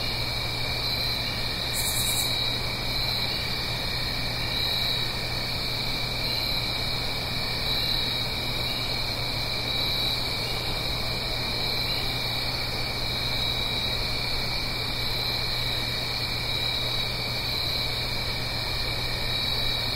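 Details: Night-time autumn crickets recorded in stereo in the Blue Ridge Mountains near a gentle stream: a loud, even high trill with a second chirping voice repeating roughly every second and a half, over constant water hiss.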